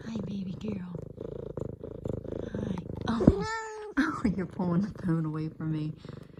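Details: An F2 Savannah cat, female, purrs loudly and steadily, a low rapid rumble, while excitedly kneading a leopard-print pillow as her owner gets home from work, under a woman's affectionate talking.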